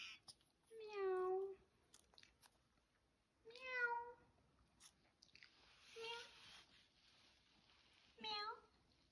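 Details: Young kitten meowing for the first time, four short tonal mews about two to three seconds apart, each bending up then down, the last brief and clipped; faint human voice between cries.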